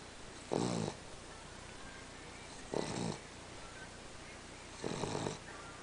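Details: A pet dog that snores all the time: three rasping, rattling snores, each about half a second long, spaced roughly two seconds apart over a steady background hiss.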